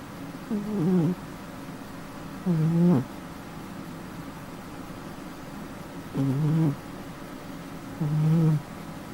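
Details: Housecat asleep, snoring in a quiet room: four low rasping snores, some ending in a brief rising catch, spaced two to three seconds apart.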